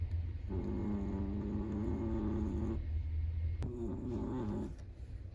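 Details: Sleeping Chihuahua snoring: two long, low rasping breaths, each lasting one to two seconds, with a rough buzzing tone and a short pause between them; quiet room.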